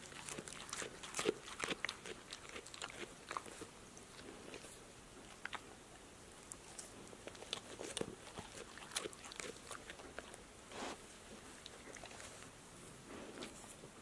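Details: A pet dog named Passport, a female, chews healthy snacks including apple slices, lettuce, sunflower seeds in shells, tomatoes and green beans indoors; rapid uneven crunching and clicking, about two bites a second, with brief pauses.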